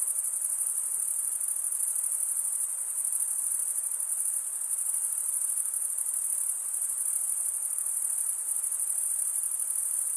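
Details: Crickets chirping in a steady, unbroken high-pitched trill of rapid even pulses, with no other sounds.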